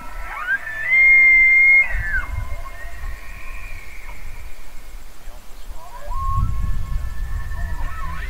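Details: Bugling elk: one loud whistle climbs steeply, holds high and steady for almost a second, then drops away. Fainter wavering tones trail behind, and a second rising whistle begins near the end over low rumbling.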